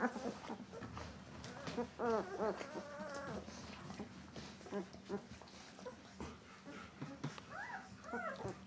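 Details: White Swiss Shepherd Dog puppies just 13 days old, a litter whining with wavering, rising-and-falling whimpers and squeals, some long quavering cries near the end, over a low indoor hum.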